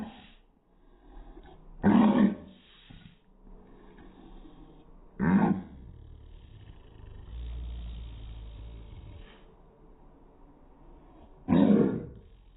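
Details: Pug barks played in slow motion sound like three heavy, growling roars spread across the stretch, with a low hum and soft grunting between them.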